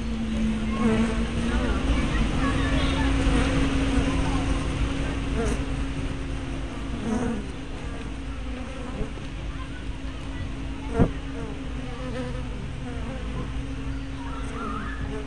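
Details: Honey bees at a hive entrance, filmed with a spy camera fitted with a 180-degree fisheye lens, 24 May 2012; a dense, steady low buzz of many wings with passing whines of individual bees, a constant low hum and a few faint clicks.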